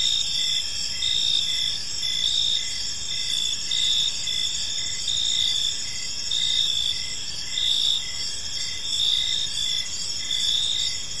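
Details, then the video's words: Crickets chirping in a park on an evening: a steady high-pitched trilling chorus with pulsed chirps repeating about once every second, layered over a faint low background hum. "Cricket Sounds in a Peaceful Park"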